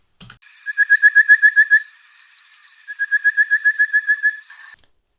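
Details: A rain frog gives two quick runs of clear, piping whistles, about ten short notes each, over a faint high hiss; it could be mistaken for an orange-breasted bushshrike, maybe even an olive bushshrike.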